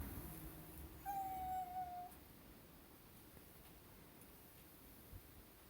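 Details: A neighbourhood cat, stretching as it tries to slip into a house and tussling at the door, gives one faint, level, drawn-out meow lasting about a second, then falls quiet against soft background hiss.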